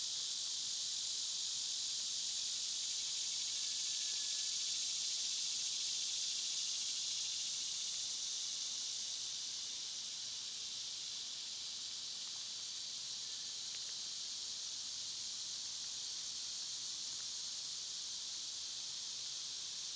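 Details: Dense summer cicada chorus: an unbroken high, sizzling drone that is strongest early on, then eases a little and holds level, with one faint whistled note near the start.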